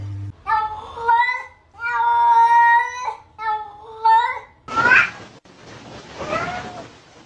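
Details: A cat talking in a funny moments compilation: three drawn-out, tonal meows with a slight waver, then a harsher, noisier rising yowl and a softer trailing call. Light background hiss.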